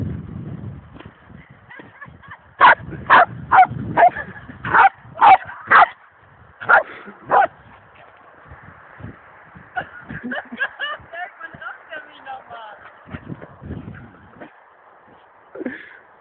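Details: Pet dog barking in a quick burst of about eight sharp, loud barks packed into five seconds, followed by softer, scattered yips and whimpering sounds over a steady low background hum.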